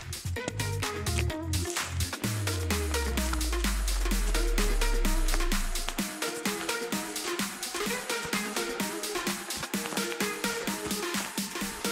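Driving electronic dance music with a steady beat and a deep descending bass sweep; no animal voices can be heard.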